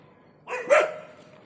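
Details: Labrador Retriever named Lyca, during a leash walking training session in Bangalore, gives one short bark with a tonal, whine-like edge, lasting about half a second, followed by quiet.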